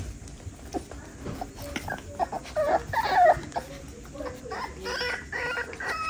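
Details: Six-week-old West Highland White Terrier puppies from a litter, waiting as food is put in their dish; high, wavering whimpers and short squeaky whines rise and fall around three seconds, with clatter and rustling around them.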